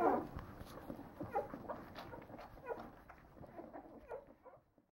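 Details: Leonberger puppies, nine days old, give a loud opening squeal then scattered softer whimpers and squeaks that fade away toward silence at the end.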